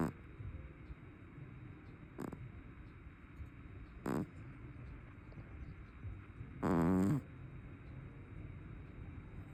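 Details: A heavy brown tabby cat snoring: two faint short snorts, then one louder half-second rattling snore near the end, over soft background hiss.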